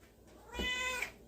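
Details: A pet cat indoors utters one short, clear meow of about half a second with a bright harmonic tone that rises slightly at the end, against a quiet room.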